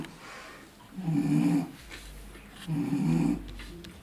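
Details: English Bulldog puppy, well fed after feeding and burping, falling asleep indoors: two soft, low, rasping snore-like grunts about a second and a half apart, quiet between.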